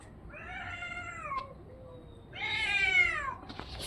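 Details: Domestic orange-and-white cat meowing: two drawn-out, slightly falling meows with clear harmonic bands, the second louder and higher, in a quiet indoor setting.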